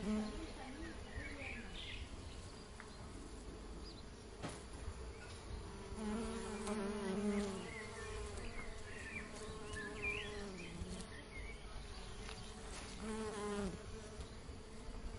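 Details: Buzzing of honey bees at work on honeycomb: a soft, wavering drone that rises and falls in pitch as individual bees pass close, strongest around six to eight seconds, under steady hiss.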